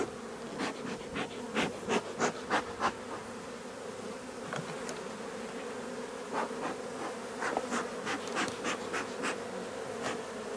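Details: Honey bees of a drone-laying colony during its replacement give a steady, low, even hum, broken by sharp clicks and knocks, likely from handling hive parts, with no voices.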